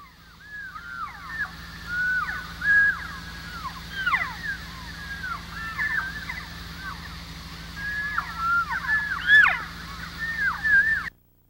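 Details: Elk recorded during vocalization research give a steady chatter of short, high mews and chirps, with many voices overlapping; these are elk talking sounds, used to attract bulls.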